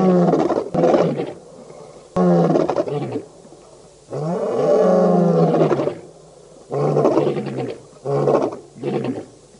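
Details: Wild lions, the Birmingham Boys coalition, at a dam in Djuma Game Reserve, Sabi Sand, South Africa, August 2016; a sequence of hoarse, grunting roar bursts, short pulses around one longer moaning roar in the middle.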